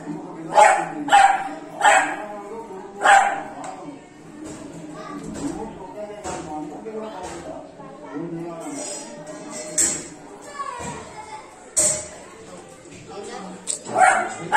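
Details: A 3-month-old Beagle puppy playing with water gives sharp, high barks in quick bursts, with music playing underneath.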